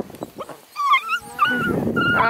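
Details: Young female Beagle squaring up to a coonhound that ignores her, bursting into wavering high yowls and yelps that rise into a harsh, noisy bark near the end.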